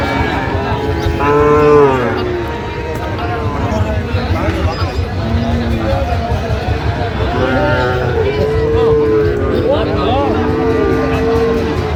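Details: Sahiwal bull calves on sale at a cattle market in Brahmanbaria, Bangladesh, 19 December 2025. A long bellowing moo opens, then shorter lows recur later, including a sustained call near the end, amid talking buyers and distant vehicle hum.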